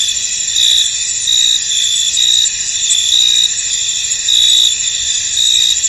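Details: Many crickets calling in a misty field, a high, even trilling band overlaid with brighter pulsed chirps that come and go in short bursts of under a second.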